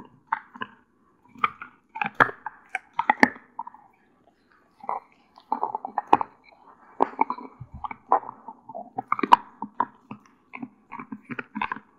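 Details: Crunching and gnawing in bursts as a one-year-old female Doberman Pinscher chews a deer antler indoors in a small room, with short pauses between bites and no barks or other animal calls.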